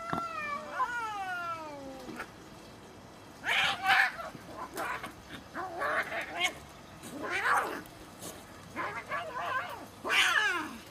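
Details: Fighting cats: a long, high yowl sweeps downward for two seconds, then harsh hissing spits and short snarling cries burst out repeatedly.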